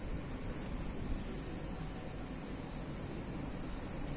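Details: Constant high-pitched buzzing of cicadas during a hot summer day in a picturesque town in Italy, with steady low rumbling underneath.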